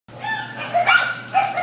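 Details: White terrier mix at the Devore shelter giving short, tonal, whining yips that rise and fall over under two seconds, with a steady low hum beneath.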